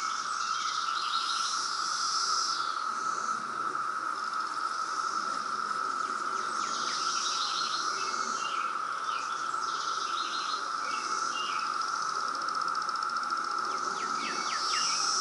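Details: Loud 2017 periodical cicada brood in Reston, Virginia, holding one constant high drone throughout, overlaid by repeated bright chirping phrases from birds.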